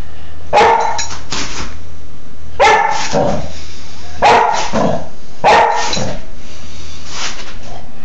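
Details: Four-month-old Dobermann bitch Baja calls out in play, 26 February 2011: four clusters of two or three harsh barks each, roughly every one and a half seconds, set against a faint low indoor hum.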